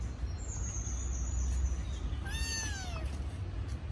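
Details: Young kitten calling out because it misses its mother, giving a single short, bent meow that rises then slides down, preceded by a faint thin high tone and low room hum.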